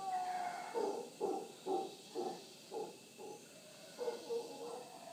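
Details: Wild howler monkeys calling in the morning at Punta Uva, Costa Rica, near the Manzanillo Wildlife Refuge; a series of short guttural grunting pulses, roughly two per second, at moderate distance.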